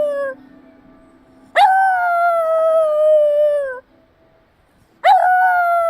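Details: Black Shiba Inu named Kuromi howling in response to a chime, recorded 22 March 2024: a drawn-out tonal howl of about two seconds that slides gently downward, then a fresh howl begins after a pause, with a faint steady hum beneath.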